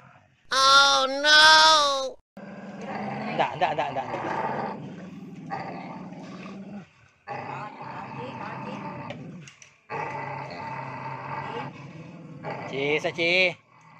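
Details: Free-roaming village dogs in breeding season, males acting fierce: loud high whining yelps open, followed by long low rumbling growls broken by short pauses, with people talking throughout.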